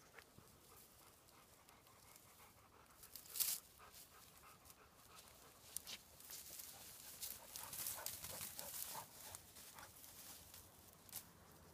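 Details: Panting from King and Patsy, two dogs hunting on their home grounds. Soft, rapid, breathy bursts grow louder and come more often in the second half, after a sharp rustle near the start.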